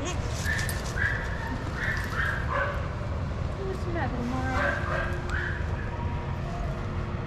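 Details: Several shelter dogs playing together in a yard at Pima Animal Care Center, Arizona, watched by handlers; short bursts of barks and yips come in clusters, with handlers talking close by and steady low background rumble.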